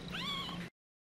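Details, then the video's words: Mother cat calling anxiously as her kittens scatter: one drawn-out tonal meow, slightly rising then level, cut off abruptly, with faint low background hum. "ANAK ANAKNYA PADA NYEBAR.. KITTY AUTO PANIK !!!"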